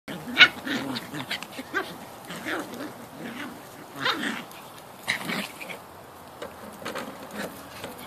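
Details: Yorkshire Terrier puppies, a litter born on the night of 4–5 March 2013, recorded between birth and about ten weeks old; a run of short squeaky whimpers and yelps comes in bursts, with one sharp click near the start.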